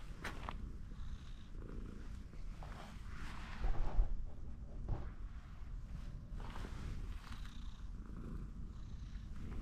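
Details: Orange tabby cat perched on a fence, asking to be stroked more, purring in a low, continuous rumble with soft rustling and brief handling noises over it.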